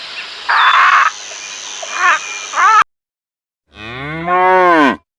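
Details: Cow (Bos taurus), moo.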